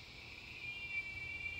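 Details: Giant cicada in the San Antonio area of south central Texas, loud enough to be heard from indoors, giving a steady, high, pure whistle with a continuous buzzy band just above it, unbroken throughout.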